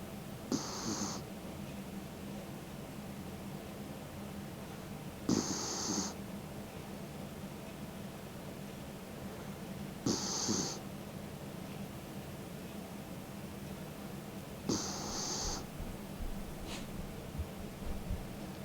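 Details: Mick, a 16-year-old elderly dog, snoring in his sleep with his tongue out: soft breathy rasps with a hissy top repeat roughly every five seconds over a low steady hum, fairly quiet.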